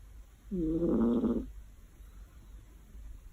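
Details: One rough, rattling snore lasting about a second from a cat that dozed off on a warm afternoon, followed by near silence.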